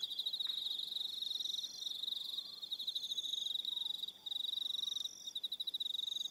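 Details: Evening cricket chorus from Aroha Island, New Zealand, with high pulsed trills in repeated bursts and a few short breaks; faint low gliding whistles sound softly underneath.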